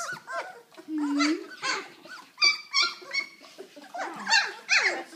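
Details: Puppies from a kennel litter, October 2012, playing and being socialized with children indoors; high squeaky yelps and whines with short barks overlap throughout, a child's voice briefly heard.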